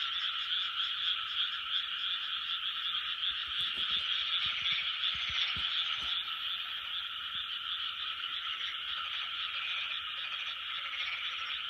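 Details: Frog chorus from 2020, a sustained mass of overlapping croaks that never pauses, steady in loudness throughout, with a few faint clicks midway.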